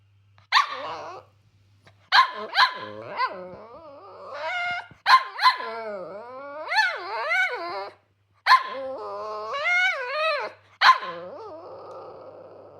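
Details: Cavalier King Charles Spaniel, a small pet dog furious at getting a smaller breakfast than usual, letting out sharp barks mixed with long wavering, rising and falling howl-like whines and grumbles, in bursts with short pauses; low steady hum behind.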